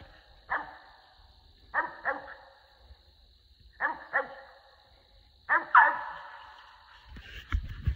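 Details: Squirrel dogs SonnyBoy and Kodak on a squirrel hunt along the Tensaw River, where eleven squirrels were seen and six bagged; deep, loud barks come in quick doubled bursts separated by pauses of one to two seconds, over quiet woods.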